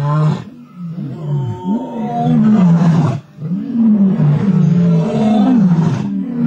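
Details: Two male lions on an African safari in a tug-of-war over a kill, giving deep rumbling growls and snarls that rise and fall almost without a break, with a brief pause near the middle.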